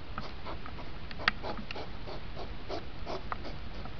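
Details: Rutting hedgehog in a time-compressed recording, two hours squeezed to five minutes: quick breathy snorts and puffs pulse irregularly, with one sharp tick near the middle.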